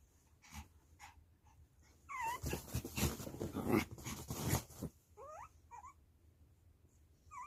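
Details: Young puppy answering its mother: short high whimpers, one wavering squeal amid a stretch of loud rustling and snuffling, then several rising yelps near the end.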